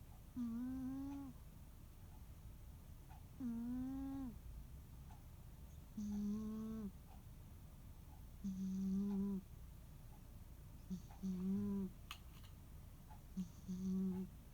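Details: Snoring of Muneharu, a rescued pet cat, during a quiet holiday afternoon nap: six humming, harmonic snore tones, the later ones shorter and flatter, spaced roughly two to three seconds apart in a still room.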